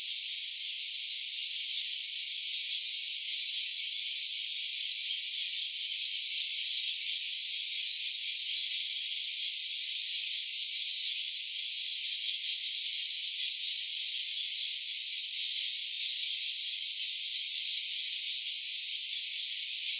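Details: Cicada calling without pause, recorded in stereo on an OPPO Reno A phone: a long, harsh, high-pitched whirring buzz with rapid fine pulses and gentle waves of loudness.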